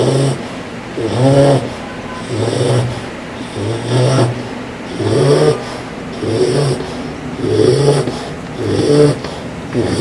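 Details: Loud snoring from a sleeping English Bulldog puppy, four months old: deep, rasping breaths repeating about every 1.2 seconds in a steady rhythm, with a rough rattling tone on each inhale.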